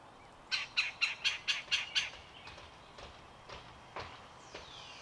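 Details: A chipmunk gives a quick burst of about seven sharp, high chips at roughly four per second, then a few fainter scattered chips, as chipmunks tussle over seeds on a deck visited by birds and squirrels.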